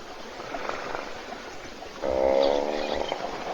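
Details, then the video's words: Sleeping hippopotamus in a waterhole puddle in Africa, recorded by a live webcam as other animals wait to drink. A single strong, buzzy snore starts halfway through after a quiet, hissy opening. "Бегемот Hippo храпит в луже"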